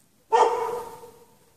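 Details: A dog chained outside in the snow at night without shelter, out since 8 PM in 16-degree cold on 3 March 2014, gives a single sharp bark that fades out over about a second.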